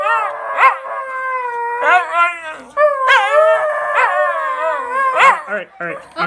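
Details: Two young West Highland White Terrier brothers howl together in summer in long, wavering, mid-pitched notes that rise and fall together.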